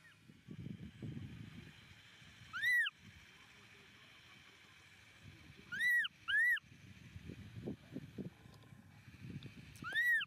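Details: Baby monkey named Momo crying loudly on rocks as his father leaves him. Four loud, high, arched wailing cries with rich harmonics: one near three seconds, a close pair around six seconds, one at ten seconds. Low rumbling background noise between cries.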